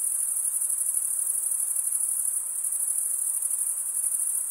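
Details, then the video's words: Many crickets chirp as one even, high-pitched ringing trill with a fast, fine pulse, constant from start to finish and free of other sounds. "Most relaxing cricket sound"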